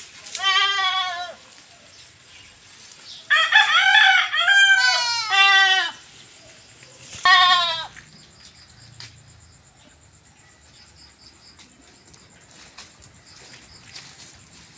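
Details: Goat kids after B-complex injections on a Philippine farm; three bursts of loud, wavering, tremulous bleats, the middle one long and doubled, then quiet with faint background noise.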